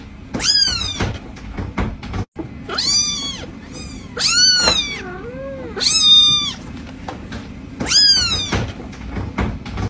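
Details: A cat meows insistently, about six high, curved cries in ten seconds, one dipping into a lower wavering tone, against a continuous low electrical hum.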